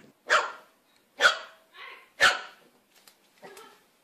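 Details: Puppy barking, three sharp loud barks about one per second followed by a softer fourth yap, quiet background between barks.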